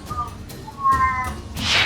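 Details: A Pallas's cat, ranked at about 40 dB, gives short, high, tonal mewing notes, then ends with a breathy hiss-like burst.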